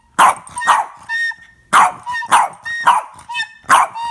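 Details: Captain, a pet Boston Terrier, barks at a flute being played: harsh, loud barks come in pairs and bursts, roughly two per second, while short, clear flute notes sound between them.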